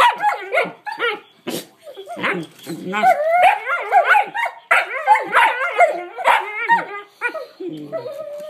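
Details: Two Collie puppy sisters vocalizing with quick chattering yips and bendy, wavering whines that swoop up and down, almost continuous for several seconds before tapering into a low drawn-out whine.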